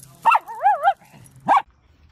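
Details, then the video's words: Dachshund pet letting out a wobbling, warbling howl-bark lasting over half a second, followed by one short sharp bark, with a low steady hum underneath. "Living with Dachshund , Sausage Dogs"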